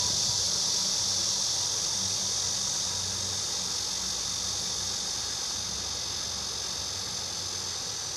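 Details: Cicada recorded by someone who admits it is not a pretty cicada sound: a steady, dense high buzz holding through the whole stretch, with a faint low hum underneath.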